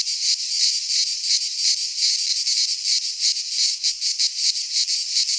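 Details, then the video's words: Midsummer cicada song from Greek pine woodland: an intense high rasping drone that swells and dips in fast throbbing waves, filling the whole recording alone. "Cicadas singing in midsummer - Nature sounds from the Greek fauna - Sounds of cicadas"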